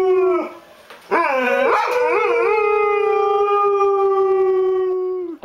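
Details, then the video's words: Domestic dog having a good howl indoors: a sustained howl, a short pause, then a wavering rise into a long steady drawn-out note that slowly sags before ending abruptly. "Buddy Howl"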